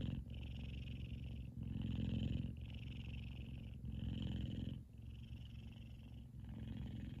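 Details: Sleeping male F2 Savannah cat named Kumba purring loud and contented indoors, a deep continuous vibrating rumble that swells and fades in breath cycles about every one to one and a half seconds.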